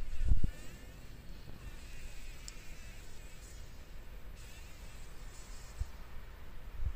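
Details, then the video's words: A fly trapped in a spider web in a workshop corner on a sunny morning, struggling to escape; a faint, wavering buzz with shifting overtones over low rumble, with a few soft knocks. "Überlebenskampf einer Fliege im Spinnennetz"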